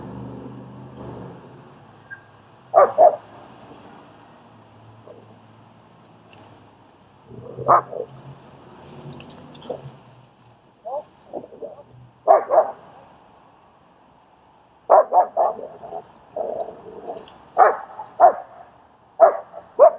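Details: Queens, New York training session where German Shepherd Strike reads and helps socialize another dog, Leonidas; scattered single barks early on give way to a faster run of repeated barks in the final seconds, over light background noise.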